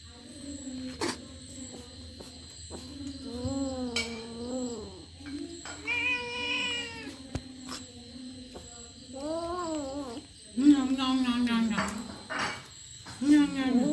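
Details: Kitten eating a rat it caught, keeping the others away, lets out repeated whiny meows that bend up and down, then a long harsh wavering yowl near the end, with a steady background hum.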